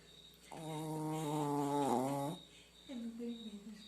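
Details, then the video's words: A sleeping dog snoring indoors. One long, drawn-out tonal snore with stacked harmonics holds steady, then wavers and bends near its end. A shorter, softer second snore follows. "CACHORRO RONCANDO"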